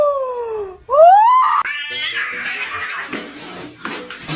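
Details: Cat meowing indoors: a falling meow, then a rising, strained meow that breaks into a rougher, noisier tail.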